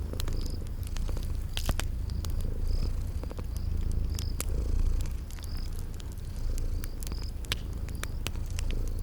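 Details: Continuous deep purring from sleeping kitties, rumbling low with slow rises and falls, accompanied by fire crackles, scattered pops and short high chirps repeating through a cozy spring garden ambience.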